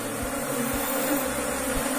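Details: Buzzing of Asian honey bees (Apis cerana) kept in a hive box by a beekeeper in Indonesia, a steady droning hum with broad noisy texture throughout.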